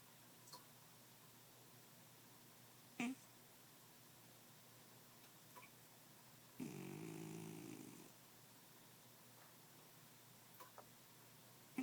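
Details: Momojiro, a pet cat, sleeping soundly: one low, rasping snore of about a second and a half breaks a quiet indoor hush, with faint scattered clicks before and after.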